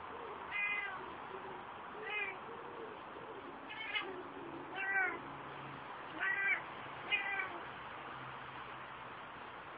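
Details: Ocicat Classic named Kia, a female pet, vocalising during her first visit to an outside run: a string of six shorter, softer meows roughly every one to one and a half seconds over a low background hum.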